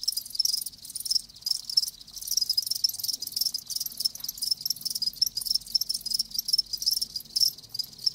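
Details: Several live crickets give a steady, high ringing chirp chorus, fast pulses overlapping into a near-continuous shrill buzz with faint low rumble beneath.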